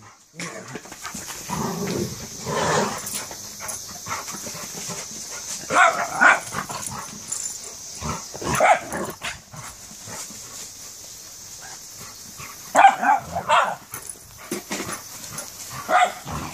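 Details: Giant schnauzer playing wildly with a miniature schnauzer, two dogs together. Scattered bursts of gruff barks, yips and growly play noises come in irregular clusters over a steady background hiss, with quieter gaps between the outbursts.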